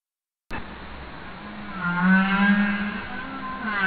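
A humpback whale gives a low, steady moaning call with a buzzy, harmonic tone.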